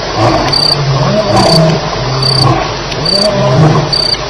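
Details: Lions fighting at night at Elephant Plains on July 9, 2010, shortly after 2am: deep, wavering growls that rise and fall in pitch, heard beneath steady, evenly pulsed cricket chirping.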